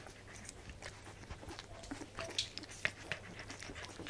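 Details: Nursing baby Welsh corgi puppies feeding on milk, June 2013: fast, light sucking clicks at about two per second, broken by two tiny high squeaks, one pitched higher than the other, against a low background hum.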